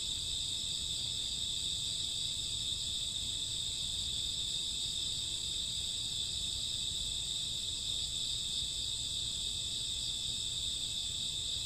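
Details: Steady shrill chirring of many crickets at midnight in summer or autumn, several bright high tones layered into one seamless, unvarying wall of sound.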